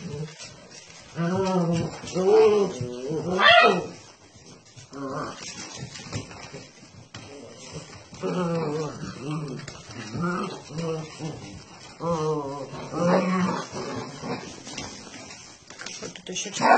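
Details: Basset Hound puppies giving drawn-out, wavering, harmonic whines and yelping howls in bursts a few seconds apart, with gaps of quieter background and some human speech between the calls.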